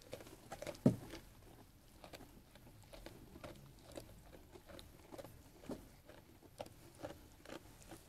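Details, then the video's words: A sheep munching on food, heard as soft repeated chewing with one loud crunchy bite early on, then scattered gentle crunches and patter. "Sheep Eating Food"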